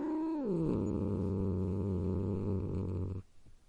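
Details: Cat's tone drops quickly from a moaning pitch into a steady, deep, rattling growl held for nearly three seconds before stopping abruptly.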